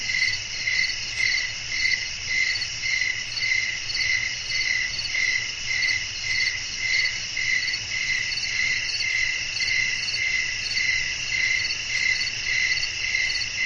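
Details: Crickets chirping in a night-time nature ambience with wind blowing, meant for relaxing sleep: high, bright chirps pulsing steadily about twice a second over a continuous shrill insect hum, with a faint low rumble beneath.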